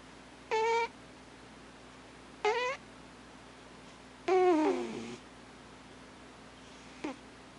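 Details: Thames, the household's alpha cat, snoring while asleep with irregular squeaky tones: two short rising squeals, then a longer one that slides downward, and a final faint brief chirp, over a steady low indoor hum.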